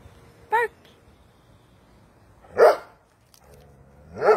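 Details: Doberman Pinscher being trained to bark on command; a brief higher-pitched yelp, then two deep, sharp single barks about two seconds apart, with quiet background otherwise.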